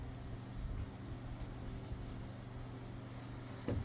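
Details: Low steady hum of a small indoor room, like an appliance or distant vehicle, with a faint brief knock near the end and no animal voice.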